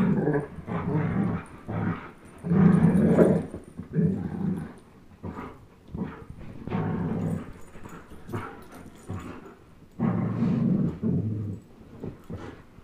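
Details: Chase, a 10.5-month-old German Shepherd, and Blizzard, a one-year-old Old English Sheepdog, tug a toy; deep, rough growls rise and fall in repeated surges every few seconds, separated by brief quieter gaps and shuffling.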